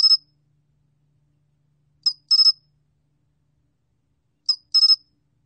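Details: Pine cricket (솔귀뚜라미) gives short, high, trilled chirps in bursts, repeated about every two and a half seconds.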